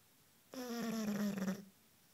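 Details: A Bulldog aged 1 year 5 months sleeps while cuddling on a couch. A single buzzy snore lasts about one second, its pitch sliding slightly downward, then the room goes quiet.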